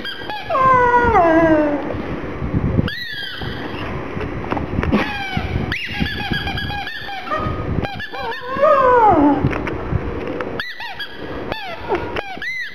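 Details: Gong Fu, a black pug kept as a mascot alongside Poncho the rottweiler, cries, sad for its little ball: long whines sliding downward, several overlapping, broken by short high squeaks and chirps throughout.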